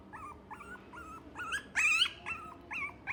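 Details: Male Cavalier King Charles Spaniel × Toy Poodle mix dog whimpering: about eight short, high, wavering whines in three seconds, with one louder, strained cry near the middle, over a faint low background hum.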